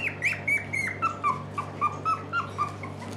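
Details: Young puppies kept by a Netherlands breeder of Shiba Inu and Samoyeds, November 6, 2018, staying awake longer: steady run of short high squeaks, about four each second, each dropping slightly in pitch, over a constant low electrical hum.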